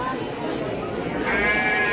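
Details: Garut sheep breeding stock at the Rancung livestock market, Pasar Andir, Bayongbong, Garut: a wavering, quavering bleat rises in the final second over steady crowd chatter and nearby men's voices.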